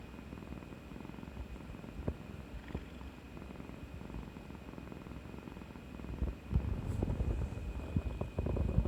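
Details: Pet cat Kuri nestling up affectionately after a brave turn at the vet's injection, 18 March 2020, purring: a deep, fast-pulsing rumble that swells louder in the last few seconds, with a few soft clicks and rustles.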